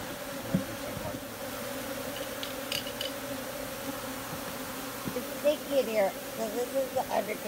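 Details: Honey bees humming in a steady low drone with an even overtone above it, joined by scattered sharp clicks and brief louder flutters toward the end.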